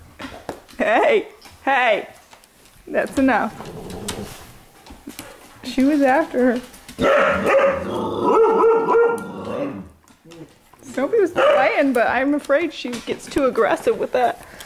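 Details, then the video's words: Several pups romping in a living room at night, 15 May 2014: sharp, rising yips and short barks in quick clusters, then a sustained whining moan, with scrabbling paws and a person talking. "Dogs Playing Inside"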